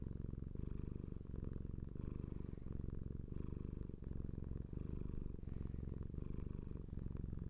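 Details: Deep continuous purr of a house cat, rhythmic rumbling that swells and dips with each breath, a soft breathy hiss appearing on a couple of breaths, recorded close in a quiet room.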